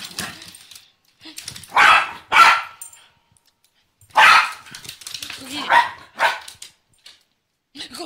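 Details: Nibbs, a female Pembroke Welsh Corgi obsessed with her favorite laser pointer, gives loud broad barks in bursts, with a faint tonal whine near the end, while her owner talks to her and urges her to go get it.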